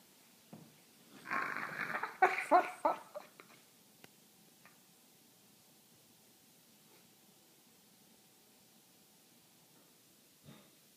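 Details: French Bulldog making odd noises while asleep and dreaming, described as sounding like a monkey: a burst of raspy, snorting whimpers and squeaks over about two seconds, then quiet with a faint snort near the end, in a small indoor room.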